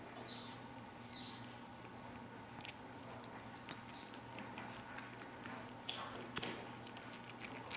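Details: A male serval kitten about 2.5 weeks old, one of a trio born 3-19-15, gives two shrill, squeaky, downward-sliding mews, each under half a second, then goes quiet; only soft clicks, rustling and a steady electrical hum follow.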